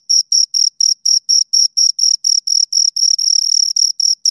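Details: Shrill cricket chirps from two insects, evenly paced short bursts about four per second, the pulses merging near the end into a near-continuous trill; no other sounds.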